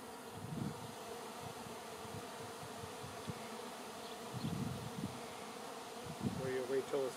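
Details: Honey bee swarm filling the air before settling on a branch, awaiting relocation to a new home; a steady, dense droning hum from many bees, with people talking briefly near the end.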